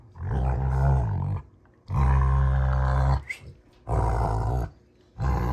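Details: Two Rottweilers, June and Kenai, play fighting on a ranch: deep, rumbling harmonic growls in long bursts of over a second, four roaring rounds split by short quiet gaps.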